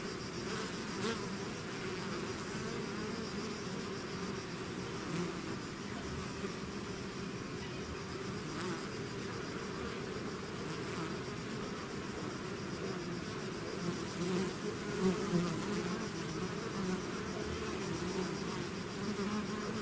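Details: A swarm of bees pouring out of its hive, producing a constant layered buzz; individual bees whirr past now and then over the steady low humming mass.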